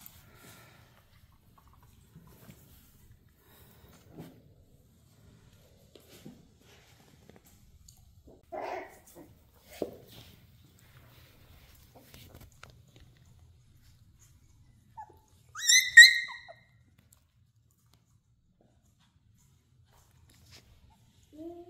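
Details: Playful dachshunds indoors: long quiet stretches with soft scuffles, a few brief low whines near the middle, then a short burst of high, thin yipping whines around sixteen seconds, and another faint whine at the end.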